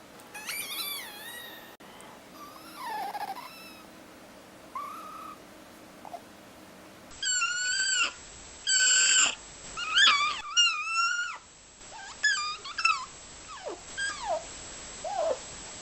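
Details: Pet fennec fox vocalizing indoors, a mix of quick rising chirps and short whining notes, several in rapid clusters, some dipping and wavering, separated by brief pauses over steady low background hiss.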